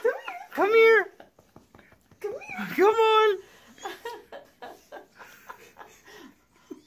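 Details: Wiener dog, a Dachshund, gives two drawn-out yowling cries with arched, stacked tones about two seconds apart, followed by softer broken yelps and snuffles.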